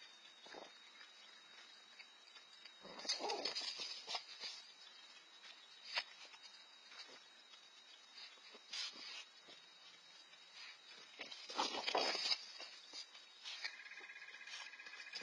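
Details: Two red fox siblings, four to five months old and newly living on their own, squabble over food. Harsh, broadband rasping bursts come in two loud bouts, with scattered clicks and rustling between them over steady background hiss.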